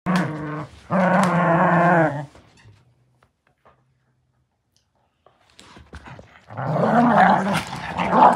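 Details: Beagle puppies growling while playing tug of war: a low, rough, harmonic growl for about two seconds, a pause of near silence, then a noisier, more ragged growl rising again toward the end.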